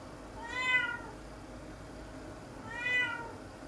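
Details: Nora, a formerly free-roaming cat being kept fully indoors, meows twice indoors, each a clear harmonic meow rising then falling, about half a second long and two seconds apart, over quiet room hiss.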